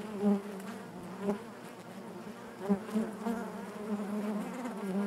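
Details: Honey bees buzzing inside their hive: a steady, low droning hum holding one pitch with stacked overtones, swelling in brief louder pulses around one, three and five seconds.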